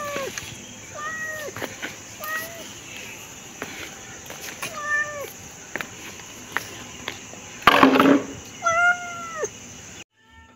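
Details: A pet cat meowing over and over: about six short meows with bending, falling pitch, spaced roughly a second apart, followed by a loud rustling burst near the end.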